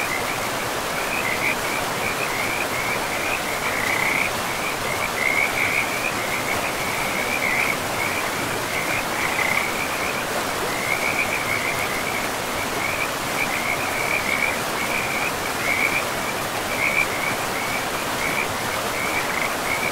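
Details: A forest river rushes steadily while many frogs keep up a continuous high, pulsing trill. The chorus swells and thins in short bursts from start to finish.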